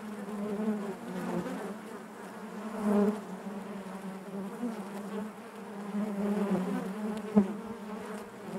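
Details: Steady low drone of honey bees in their hive, gently pulsing in volume, with a faint click near the end over the continuous buzz.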